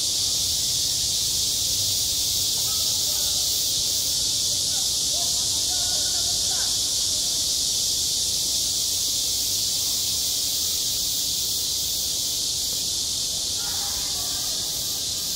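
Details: Summer chorus of cicadas at a school sports ground, an even, shrill wall of buzzing throughout, while faint far-off voices rise briefly near the start, middle and end.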